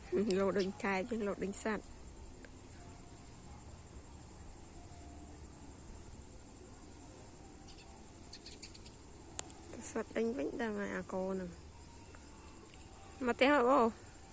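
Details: Dogs in the evening: three bursts of high, wavering whines and yelps, each rising and falling in pitch and lasting one to two seconds, with quiet stretches of faint background hum between them.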